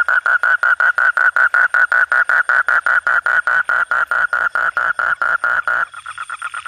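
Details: Frog croaking after dark, a very regular train of clipped mid-pitched pulses, roughly five or six per second, that stops abruptly near the end, leaving only weaker distant calling.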